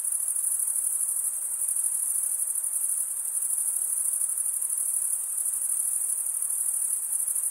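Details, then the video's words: Crickets, males stridulating by rubbing one wing's toothed vein against the other, produce a dense, continuous high-pitched trill with no pauses, a steady shimmering wall of chirping and faint lower hiss beneath. "Most relaxing cricket sound"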